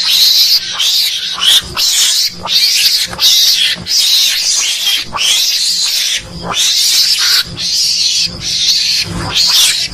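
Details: A mongoose lure call used to attract mongooses for hunting: harsh, hissing mongoose screeches repeat in rapid bursts, almost without pause.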